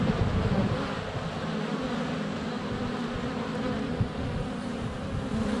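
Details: Swarm of honey bees circling a hive entrance on a sunny February day, picked up by a GoPro Hero 7 Black under a foot away; constant deep buzzing, a few louder passes, bees landing on the camera.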